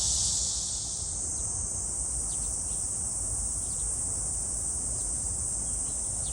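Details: Cicada song recorded at Gwangalli Beach, with dragonflies present; a dense, steady high buzz fills the upper range, swelling loud at the start then holding level, with faint brief ticks above it.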